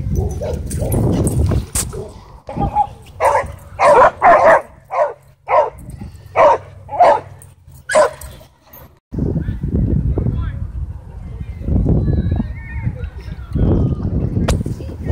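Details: At a dog park, an angry dog called a sabertooth dog gives a run of about eight quick, evenly spaced barks between stretches of low, rough growling and rumbling outdoor noise.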